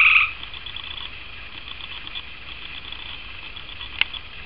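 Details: Gray tree frog in a tree beside a house: a loud burst at the start, then a long, even, high trill continuing steadily, with one sharp click near the end.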